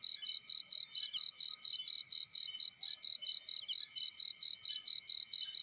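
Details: Cricket in a field with steady high-pitched chirps, about twenty short pulsed bursts in under six seconds, evenly spaced and constant in pitch, with no other clear sounds.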